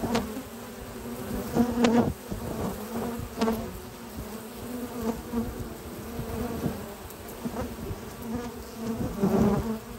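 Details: Many honey bee foragers hauling pollen into their hive on a spring morning at a research lab; continuous low buzzing drone, swelling repeatedly as bees fly close by, with scattered thumps and rustles from hive activity.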